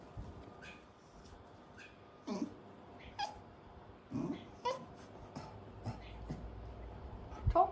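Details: A cocker spaniel trained to bark on the "speak" command gives brief, muffled woofs about a second apart, as a person repeats the command and praises him between barks.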